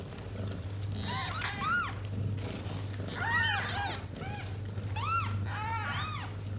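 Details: Tota, a house cat born to a stray, with her six kittens: high arched mews come in clusters, several voices overlapping, rising and falling quickly, with a steady low hum underneath.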